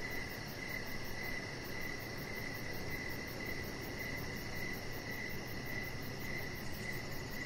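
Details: Evening ambience on an outdoor deck, crickets giving rhythmic high chirps in a steady stream over a gentle hiss.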